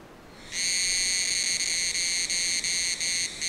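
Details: Unidentified Tanna cicadas recorded in Taitung, Taiwan, at 1000 m elevation, calling together as a group; the song is close to Tanna chichibu and may be Tanna karenkonis. A loud, steady, high buzzing drone starts after half a second, with brief dips.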